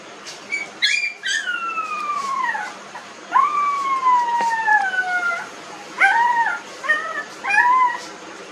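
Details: Newborn puppies nineteen days old crying with long high whines that slide downward over a second or two, followed by shorter quick yelps in a rapid string near the end.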